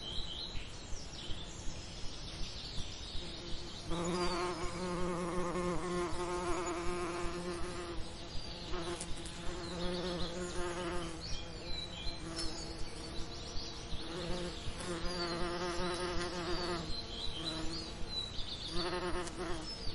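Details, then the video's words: Bees working summer lavender, their low humming buzz coming and going in wavering passes several seconds long, with scattered high bird chirps and a steady faint ticking in the background. "Relaxing Lavender Summer Ambience & Bee Sound Effects"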